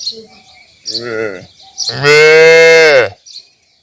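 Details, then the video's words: Calf calling: a short wavering bleat-like moo, then a loud, sustained, steady moo of about a second and a half that cuts off abruptly. "Cute Baby Cow Sound Mooing"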